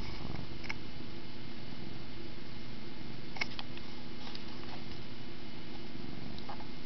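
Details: Pet cat playing with a camera string and purring in a small room: steady, deep, throbbing purr running unbroken, with scattered light clicks and one sharp tap midway.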